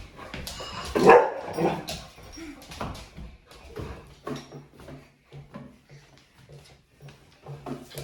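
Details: LeGo, an AKC-registered Bernese Mountain Dog, lets out a loud burst of barking in the first seconds, followed by softer, scattered yips and thumps with faint human voices in the background.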